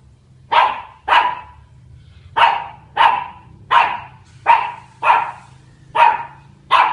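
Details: Charlie, a dog at Queena HSE, barking at a big dog on October 14: a steady run of nine short, forceful barks, roughly one every three quarters of a second, with a low background hum.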